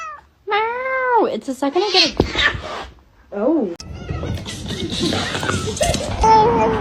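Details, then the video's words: Kitten meowing in a funny home compilation: several drawn-out, arching meows in the first few seconds, then a person talking, laughter and screaming over noisy clatter. "kitten meowing cute"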